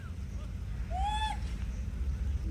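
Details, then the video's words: Monkey screaming while eating a banana: a single arched, tonal squeal with stacked harmonics, rising then falling, lasting under half a second, with a person's voice and low rumbling background noise. "అరుస్తూ అరటిపండు తింటున్న కోతి"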